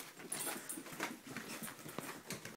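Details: An elderly Springer Spaniel being woken from a dream, giving soft snuffling whimpers and breathy huffs in short irregular bursts over close, quiet indoor room sound.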